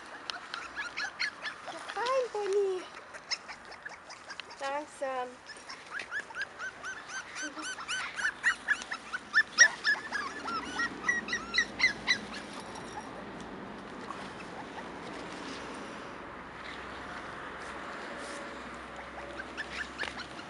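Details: Cairn Terrier puppies, five weeks old, born 28 June 2015, whine in rapid trains of short rising yelps, several pups overlapping, fading later into quieter rustling with occasional human voices.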